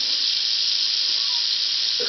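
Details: Female Southern Pacific rattlesnake, taken from warm asphalt near Whitewater, California, half an hour after sunset, sounds a constant hissing rattle, steady and unvarying, with a voice starting at the very end.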